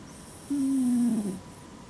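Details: Deeply asleep female red Shiba Inu, lying on her back and snoring like a person. One sustained, low, humming snore lasts nearly a second, slowly falling in pitch and fading into a slight rasp. Faint hiss underneath.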